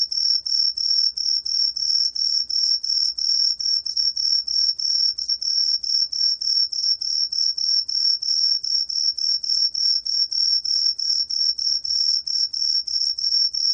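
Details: Chirping of a Truljalia hibinonis cricket, archived by Korea's National Institute of Biological Resources in 2020. Bright, high ringing pulses repeat evenly around three times per second throughout, over a quiet background.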